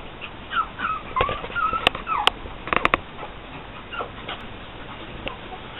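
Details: Pug puppies from Angel's litter, born June 12, 2012, described as friendly and playful, giving a run of thin, high whimpers and squeaky yips that rise and fall, mixed with sharp clicks and knocks.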